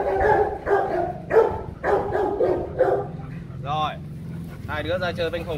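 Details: A fight between Rottweilers at the Gervi kennel: a burst of coarse, rapid barks for about three seconds, then wavering, rising whine-like cries, with a man speaking underneath.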